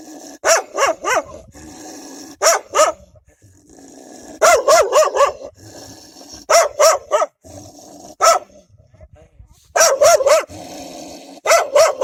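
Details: Several wild dogs protect their pups with strong, frightening barking: repeated bouts of three to four rapid, harsh barks, broken by short quiet gaps and steady background hum.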